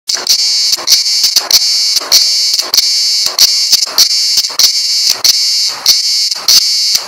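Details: On Güvercin Island in Kuşadası, Turkey, a cicada sings a steady, shrill, high-pitched buzz broken by sharp rasping pulses; cicada.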